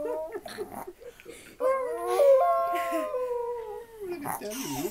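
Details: Chihuahua. A Chihuahua howls in a long, drawn-out tone that climbs, holds steady with slight wavers, and then falls away. Shorter yelping notes come before and after, with faint human voices in a small room.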